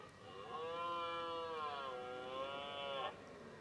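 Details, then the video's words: Red deer stag bellowing during the 2018 rut: one drawn-out, moaning roar of about three seconds with rich stacked harmonics, wavering slightly in pitch before ending abruptly, over a quiet background. "Brame du cerf"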